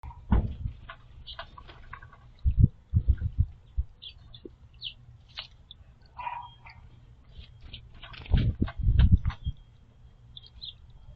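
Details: A squirrel coughs after drinking from a water bowl, possibly having swallowed a floating sunflower seed. It gives short, rough coughing bursts in a few separate clusters, with faint clicks between them.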